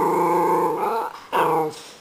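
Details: A female pet dog "talking" indoors: a sustained, tuneful howl lasting about a second, a brief dip, then a second shorter rising howl, smooth and harmonic like a drawn-out vowel.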